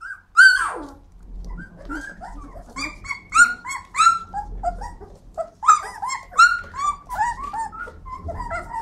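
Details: Flat-coated Retrievers vocalising indoors in a small room: high, sliding whines and yelps around the middle pitch range, broken by short barks and squeals in irregular bursts over about nine seconds, with faint low rumbling beneath.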